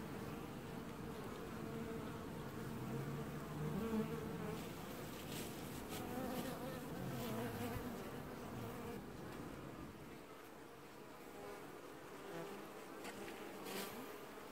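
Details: Colony of honey bees washboarding at their hive in an apiary, filmed early July 2019; continuous layered buzzing of many bees, swelling into a low roar mid-clip then easing slightly, with scattered sharp ticks.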